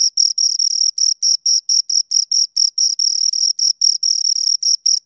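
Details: Pair of crickets stridulating right at the microphone: bright, high-pitched chirps pulsing roughly four times a second, each burst a dense buzzy rasp with an upper harmonic, no other sounds around.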